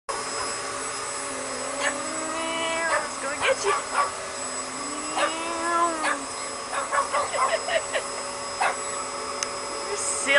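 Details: Bear, a pet Pug, barking at a running vacuum cleaner indoors: short, sharp yips and barks in irregular bursts, some whining rising notes, over the steady hum of the vacuum.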